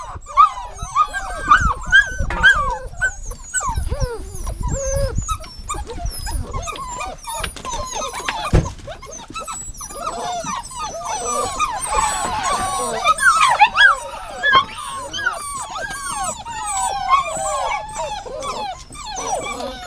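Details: A long stretch of many dogs whining at once: a continuous tangle of high, wavering whimpers and yelps, with fuller, noisier cries around twelve to fourteen seconds and low knocks near the start.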